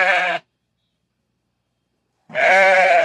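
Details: Sheep calling bleats from a farm flock: two strong, nasal, harmonic bleats, a brief one at the start and a longer, louder one at the end, with silence between.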